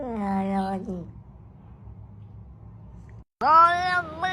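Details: Cat giving two meows: a falling, whiny meow lasting about a second, then after a pause a louder, rising, strained meow near the end, with a quiet low hum between.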